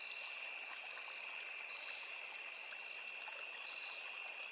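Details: Crickets in a forest beside a small river, a steady unbroken chorus of high shrill trilling in two layered pitches, with the soft trickle of flowing water underneath.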